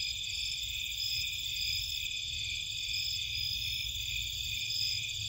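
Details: Crickets calling at night in Cape Cod marshland, many insects trilling together in a bright, continuous high shimmer with gently throbbing pulses, a dull low rumble underneath.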